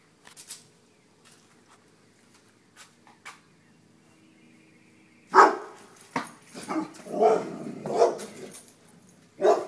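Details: Dogs running from a deer mount: quiet rustling and faint knocks at first, then a loud bark followed by a rapid run of rougher barks and yelps.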